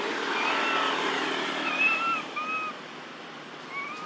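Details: A baby monkey living in an archaeological park, apparently separated from its group, gives short, clear whistled coos, repeated over steady background rumble, calling for its mother.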